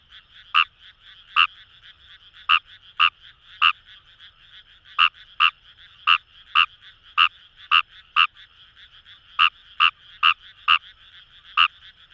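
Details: Fejervarya kawamurai calling in paddy fields along the Kamo River, Itoshima, Fukuoka, Japan: short sharp clicking croaks, spaced irregularly about half a second to a second apart, over a steady chorus of softer frogs.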